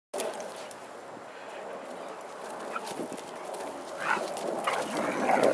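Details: Mishka, a Siberian Husky, 'talking' while teaching a puppy a lesson; a low, steady background rumble gives way to short rising-and-falling grumbled vocal bursts in the last two seconds.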